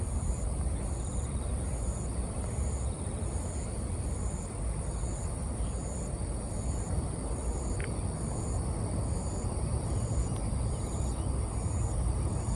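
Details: Autumn bell cricket: thin, high-pitched ringing pulses repeating steadily at a quick even pace, faint behind a heavy, constant low-frequency roar, with one brief click partway through.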